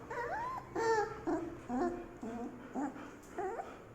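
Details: Golden Retriever puppy crying in a series of about seven high, whining whimpers over four seconds, each short and wavering, some rising then falling, separated by brief pauses, with a person talking softly nearby.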